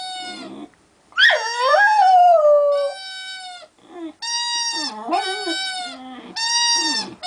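An American Staffordshire Terrier howls in long, wavering, wolf-like tones that slide downward.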